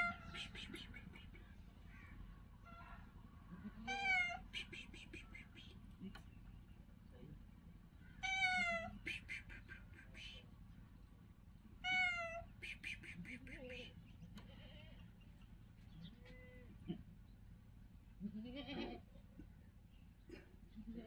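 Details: A golden brown kitten on the street gives repeated meows, harmonic and slightly falling, at about 4, 8.5, 12 and 18.5 seconds, with softer mews between; a man speaks and steady street noise runs underneath.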